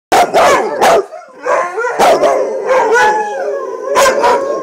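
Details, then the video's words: Retired racing greyhound roo-ing, joined by two other dogs: sharp yelping barks open, then a wavering, mournful howl rises between further sharp yips. "Finds His Roo"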